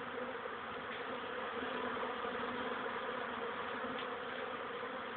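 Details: Honey bees at a hive on 13 May 2013 at 14:04, young bees making their first flights on a warmer day after several cold, rainy ones; a dense, steady swarm-like hum of many wings fills the whole stretch without pause.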